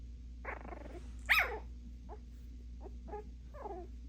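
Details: Puppies barking at each other: a low rumbling growl, then one sharp, loud bark, followed by several short, soft yips and whines over a constant low background hum.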